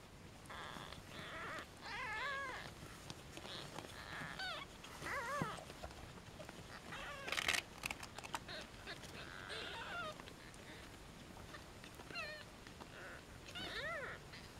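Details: Newborn European shorthair kittens, one and a half days old, in a cattery litter born in July 2013, filmed after weighing while the mother eats; thin, wavering high mews rise and fall repeatedly among handling noises and scattered clicks.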